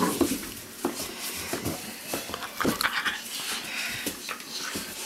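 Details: Weimaraner puppies from an Indigo and Magnum litter, held indoors on a lap at the mouthing age, give short high whimpers and squeaks amid rustling, handling noise and soft talk.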